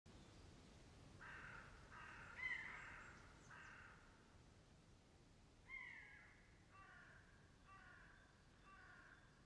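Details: Roe deer barking in August 2012 near Morpeth, Northumberland; faint, hoarse, short barks repeated in loose bursts roughly every second, with one sharper call standing out, against a steady hiss of background noise.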